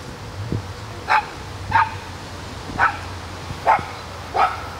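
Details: John, a California sea lion at the Constanța Dolphinarium, barks during feeding: five short, sharp, harmonic barks spaced about a second apart over a steady low background hum.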